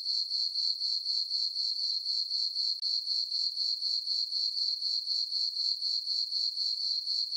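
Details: Chirping crickets at night in a summer meadow on a farm beneath a full moon: a bright, thin trill pulsing regularly about four times each second, otherwise quiet.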